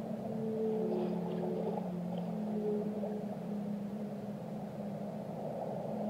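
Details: Whale song with overlapping sustained moans, a low droning tone under higher wavering notes, all set against continuous murky underwater rumble.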